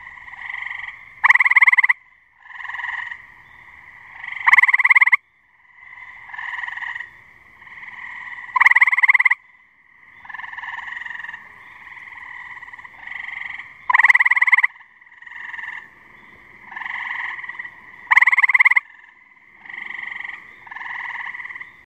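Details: A male gray tree frog calls from a branch above a pond, giving loud fast-pulsed musical trills every three to five seconds. Softer, shorter trills fill the gaps between them, with no other clear sounds.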